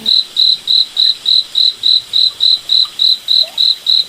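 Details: Cricket chirping at night in a moonlit forest: a high, pure chirp repeated steadily about three and a half times per second, evenly spaced, with a faint hiss beneath and no other clear sounds.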